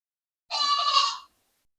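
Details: During a Mini Nubian goat birth on a small north Texas farm, with very small kids being delivered, a goat gives one strained, raspy bleat under a second long, fairly high and harsh.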